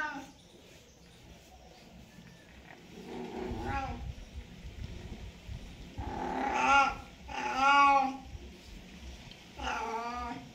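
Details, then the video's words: Domestic cat in mating season, with drawn-out harmonic yowls at about 3.5, 6.5, 8 and 10 seconds, some rising and falling, over a quiet indoor background with faint low rumbling. "Cat mating call"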